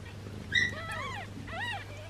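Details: Two high, wavering cries from a newborn kitten with a swollen belly, each rising then falling, the first sharper and louder, the second softer and drawn out, against a constant low electrical hum.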